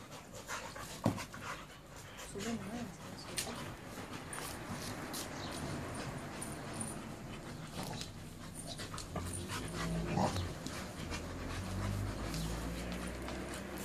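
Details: A pit bull and a rottweiler, both males, at play; low rumbling growls and heavy panting mix with scuffling and a person's voice, with a deeper growl rising late in the clip.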